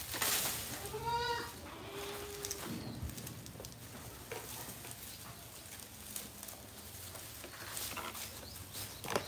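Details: Goat brought from Modnimb market: two short wavering bleats early on, the first higher and buzzier, then busy market-like background noise with clicks and knocks.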